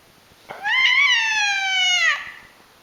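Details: Domestic cat giving a drawn-out scream inside a home, a strained, nasal wail lasting roughly 1.6 seconds with a quick upward start, a sustained level middle and a gentle fall, ending sharply; faint clicks beneath.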